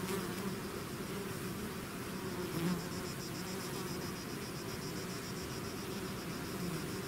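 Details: Bees swarming outside their hive produce a constant, even hum; one faint thin high tone runs above the low droning buzz, with one brief louder swell near the middle.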